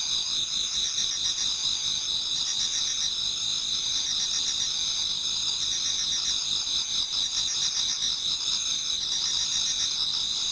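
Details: Autumn insects in a Japanese garden near dawn form a continuous chorus of shrill, buzzy trills, several high bands overlapping, with a softer pulsing chirp rising and fading every couple of seconds.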